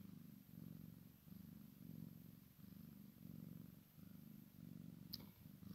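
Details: Maine Coon crossed with Sphynx, a kitten playing beside its mother, purrs in a soft rumbling rhythm, each swell lasting under a second, ending with a brief sharp click.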